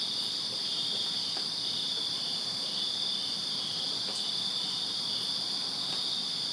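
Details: Crickets in a backyard in Virginia on a summer night produce a dense, even, high trilling chorus, steady from start to end, with scattered faint clicks above it.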